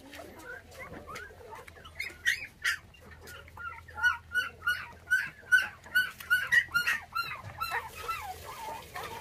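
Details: Six-day-old orphaned puppies, one of five whose mother was taken by dog thieves, now bottle-fed on milk; high squeaky whimpers repeat rapidly in an uneven run, growing louder through the middle, over a low steady background hum.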